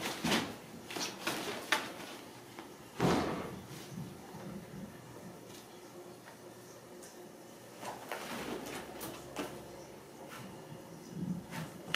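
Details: Knocks, bangs and door or drawer sounds in a small room, with faint speech and no animal sound.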